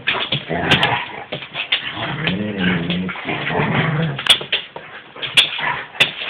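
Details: An Alaskan Husky and an Alaskan Malamute playing together growl and grumble in low, drawn-out moaning tones, mixed with scuffling and sharp clicks.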